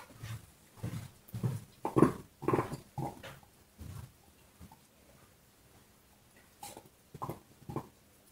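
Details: A dog works on a bone indoors, with rhythmic, heavy crunching bites about every half second that swell and then fade. A short quiet stretch follows before a few last chews.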